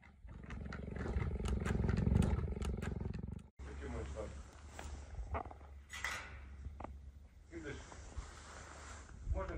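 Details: Captive female cheetah near her enclosure, approaching a male who has just left it and voicing displeasure at his intrusion on her territory; about three seconds of deep, rapidly pulsed purr-like rumbling, followed by a woman talking.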